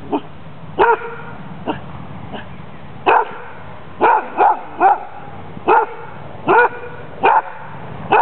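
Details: Friendly, playful female dog with a strong hunting drive, during a Danish Kennel Club temperament test on 14 April 2007. She gives sharp, mid-pitched barks, singly and in quick pairs, at uneven intervals, with a few fainter yips between them.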